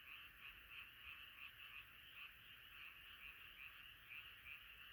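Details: Massed frogs singing at night; thick continuous croaking with quick, uneven pulses nearly three per second, individual bright calls standing out over the steady chorus.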